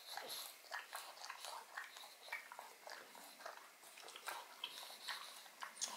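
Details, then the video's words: Indoors, Odin the pug eats bone marrow, producing steady wet smacks and crackly bites in quick irregular bursts, roughly two or three per second, in a quiet small room. "Dog Eats Bone Marrow [Pug/Mukbang]"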